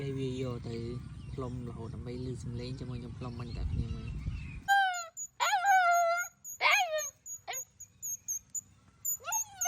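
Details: Dog howling as someone blows a picked flower like a whistle: a person talks at first, then a high steady whistle note sets off long descending wails, repeated about four times with short gaps.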